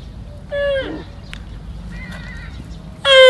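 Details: Young camel, known in Arabic as saqb, ha'il or huwar, giving a sad, distinctive call: two falling, nasal, harmonic bleats, a short one early and a louder one starting at the end, over a low background rumble.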